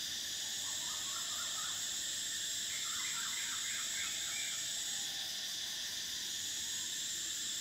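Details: High, even cicada drone of summer runs throughout and weakens slightly after five seconds; bursts of quick, chattering bird notes sound beneath it in the first half.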